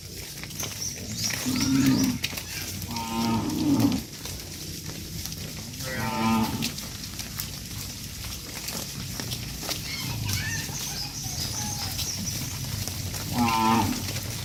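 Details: Dozens of tame cattle being herded back to a farm pen low in deep, drawn-out, harmonic moos that rise and fall, one caller after another, over a constant low rumble with scattered clicks.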